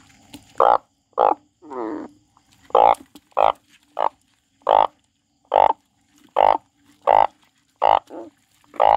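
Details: A frog crying in a steady series of about a dozen short, loud, nasal croaks, roughly one every 0.7 seconds, broken once by a longer buzzy trilled note near the start.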